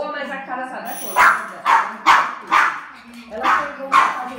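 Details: Pet dog reacting to a doorbell by barking: a spoken voice at first, then five or six loud, clipped barks roughly every half second, alongside ongoing conversation.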